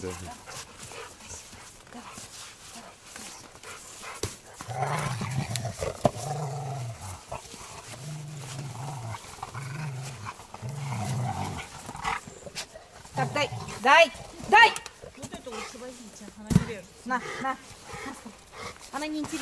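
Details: Rottweiler named Zhenya, playing as people hand over a toy, gives a low rumbling growl in a series of second-long bursts with short gaps, then people talk in Russian over clicks and rustling.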